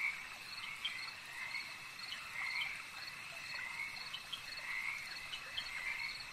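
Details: Lakeside frogs form a busy chorus of overlapping trilled croaks, some louder bursts standing out against a continuous high-pitched hum; no other animals or people clearly heard.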